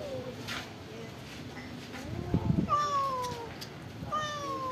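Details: Pagoda-dwelling stray cat during a rice-and-fish feeding: two clear, drawn-out meows sliding downward near the end, after a brief scuffling noise and soft background murmur.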